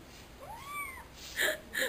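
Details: Pet female cat named Pimienta giving a single clear meow that rises and then falls, lasting about half a second, followed by a couple of short sharp noises.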